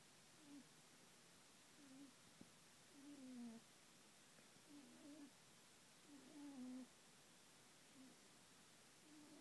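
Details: Pet rabbit Binky, a female, snores as she sleeps. Soft, high, nasal squeaks come in pairs, with the louder ones falling slightly in pitch, recurring every one to two seconds in near silence.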